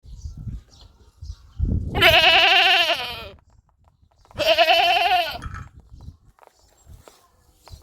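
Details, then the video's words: Goat bleating twice, each a loud wavering nasal cry about a second long with rich harmonics, separated by a two-second gap, over low background rumble and faint clicks. "Goats sound 2023 | Best goat sound in the world 2023"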